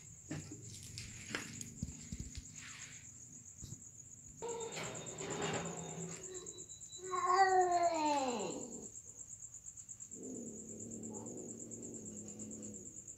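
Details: Cats during mating, with scattered scuffling noises and then a loud wavering yowl that rises and falls, followed by a lower murmuring cry. A constant high insect trill runs underneath.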